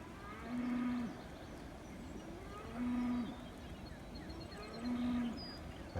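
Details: On a pasture by a flooded creek after an inch of rain on 25 April 2025, a mother cow calls for her calf with short, steady, low moos repeated about every two seconds.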